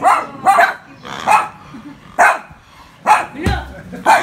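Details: Poodles barking while scared of a pig: sharp, yappy barks in short bursts, about six across four seconds at an uneven pace, with faint human voices underneath.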